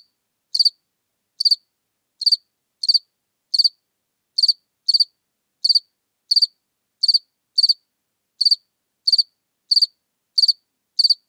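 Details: House cricket recorded in Seewiesen, Germany, on 4 January 2021: short chirps of two or three high pulses, repeated roughly every 0.7 seconds in a steady series, against complete silence.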